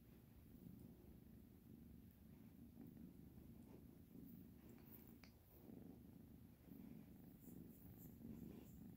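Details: Kitten purring steadily indoors, a continuous low rumbling drone with gentle rhythmic pulses, a few faint clicks and rustles over a quiet room background.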